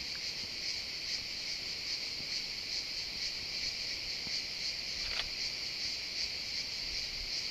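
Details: Steady buzzing of cicadas in a pine wood, a shimmering high drone pulsing slightly, with a brief click near the fifth second and little else heard.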